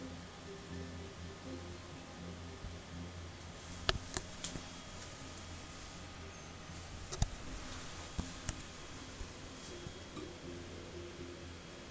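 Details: Quiet indoor room hum with a few sharp clicks and ticks, no animal vocalisation heard.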